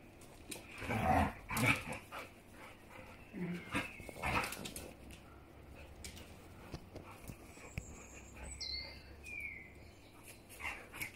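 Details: Siberian Husky mother and daughter playing together, with loud bark-like yelps and grumbles early on, then softer whines and high squeaky chirps over a background of shuffling.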